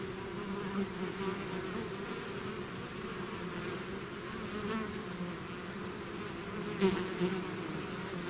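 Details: Many bees swarming out of the hive make a steady layered buzz, low hum bands rising and falling as individual fliers pass, with a brief louder close pass near the end.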